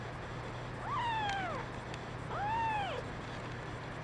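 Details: Kittens' cries, including a brown mackerel tabby female; two clear meows about one and a half seconds apart, each rising briefly then sliding down in a long arched tone over a steady low hum.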